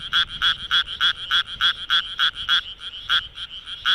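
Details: Japanese tree frog at night in Kawagoe's Minamitajima, Japan, calling by inflating its vocal sac: about fourteen evenly spaced rasping pulses in four seconds, each a short bright buzzy note, with one slight gap near the end.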